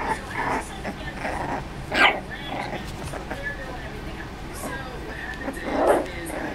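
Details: Playful four-week-old Dachshund puppies: scattered short, harsh yips and little barks, a louder one near the middle and another near the end, over soft background noise of the puppies moving about.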